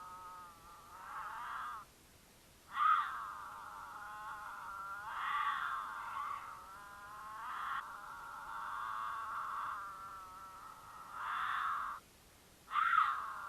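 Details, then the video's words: Mountain lions courting in Utah, female in heat caterwauling to draw the male, who occasionally answers, recorded by a camera on their path; series of long, loud, quavering yowls broken by brief pauses, with abrupt harsh onsets. "The Unforgettable Sound of a Mountain Lion Caterwaul"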